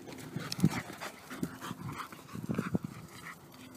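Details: A rescue pit bull terrier panting while playing soccer, dribbling and trapping the ball: quick irregular breathy huffs in short clusters, with low dull thumps between them and some handling noise.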